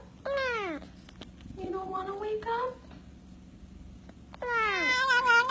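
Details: Domestic cats making weird meow noises: three drawn-out meows with strong harmonics, the first and last falling in pitch, the middle one rising, with a person speaking and indoor room sound.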